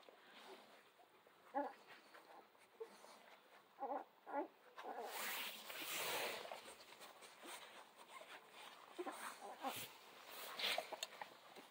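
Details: A litter of Central Asian Shepherd Dog puppies whose eyes are just opening, becoming playful and active. Short, high squeaky whimpers come in scattered bursts over soft rustling and shuffling, with a person talking in the background.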